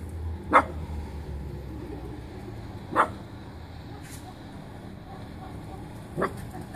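A miniature dachshund gives three short, sharp barks, spaced a few seconds apart.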